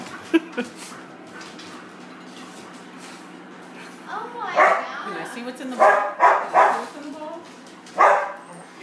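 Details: An English Springer Spaniel, excited before dinner, breaks a quiet start with a few faint clicks, then gives a run of short, sharp barks in clusters, with a final bark near the end over a low background hum.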